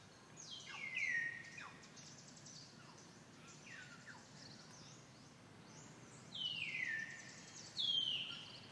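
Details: A female monkey with a baby gives high, thin alarm screams that slide steeply downward in short bursts with quieter gaps, when threatened by another monkey she usually flees, over a low background hiss.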